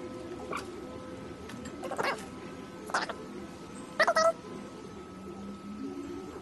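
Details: Domestic cat on the prowl gives a short, chipmunk-like chirp with a quick wavering pitch about two-thirds of the way through. Scattered clicks and rustles come before it, and a low steady hum runs underneath.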